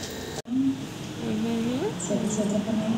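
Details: Newborn pups from a litter of nine born to Namsun, sired by a male Shih Tzu, give thin, wavering, rising whines indoors, several overlapping, with a brief cut near the start.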